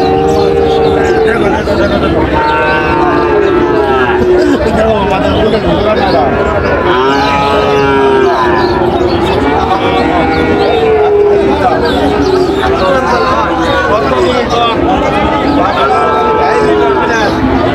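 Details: At a cattle market in Munshiganj, Bangladesh, on July 24, Sahiwal and Friesian bull calves call repeatedly; many overlapping moos, some long and level, others short and bending, run through steady crowd noise and talk.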